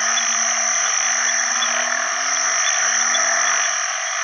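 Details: Banded bullfrogs, called house bullfrogs locally, call for partners alongside other frogs after heavy rain at the start of the rainy season: low, humming drawn-out notes overlapping in sequence beneath a loud, continuous buzzing chorus.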